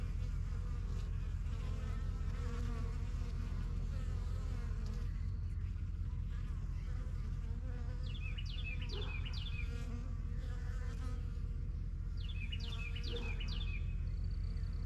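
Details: Honey bees fly in and out of a new yellow backyard hive, the strongest of a first few hives started in spring 2023. A steady low droning hum fills the clip, and bright, quick bird chirps break in twice near the end.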